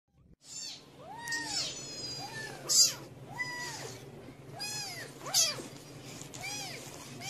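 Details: A mother cat tends her babies on their fourth day while high, thin arching mews repeat, about seven short calls at uneven intervals of roughly a second, each rising and dropping in pitch, with a low steady hum underneath.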